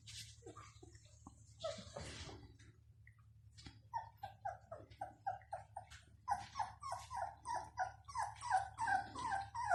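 Bloodhound puppies whimper and yip in quick, repeated, high-pitched cries.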